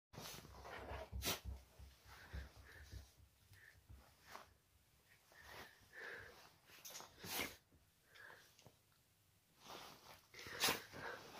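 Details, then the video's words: A very happy one-eyed springer spaniel dog gives short, breathy, sneeze-like snorts in irregular bursts, with soft huffing breaths between them and a quiet background. "Very happy one eyed springer spaniel dog"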